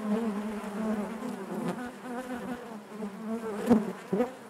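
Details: Honey bee colony humming inside the hive: a constant low buzz with rich overtones, steady in level, ending with two brief knocks near the close.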